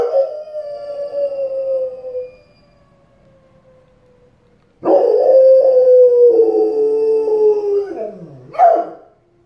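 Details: A dog howls in long, mournful tones that slowly sag in pitch, set off by a live tornado warning siren for the area.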